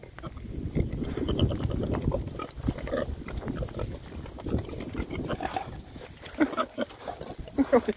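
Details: Six rare-breed Oxford Sandy and Black pigs foraging in winter between storms, grunting and oinking in low, rough bursts through most of the stretch, with sharper squeaky grunts near the end.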